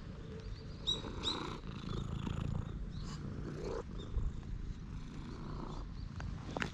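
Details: Stray cat at a temple, after dashing straight toward a person, purring in a steady low rumble throughout, recorded with a GoPro HERO8; small birds chirp higher up in the background.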